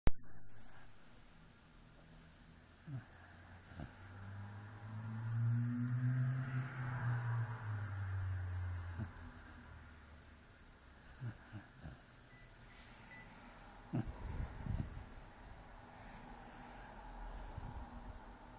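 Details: A 4-month-old Basset Hound puppy naps on its owner and snores softly, with low rumbling breaths that swell and fade.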